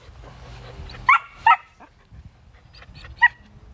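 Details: Dog in a home with a German Shepherd and a Miniature Poodle lets out two quick high yapping barks, then a single bark after a pause, over a low background hum.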